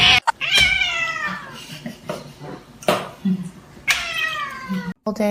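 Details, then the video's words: Kitten meowing, giving two clear, loud meows that start high and slide downward, spaced about three seconds apart, while people talk and handle things in a room. "kitten meowing"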